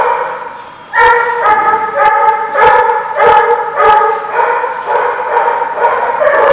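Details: Dog barking in a rapid, fairly even series of strong harmonic barks nearly twice per second after a quiet opening, a few sharp clicks mixed in.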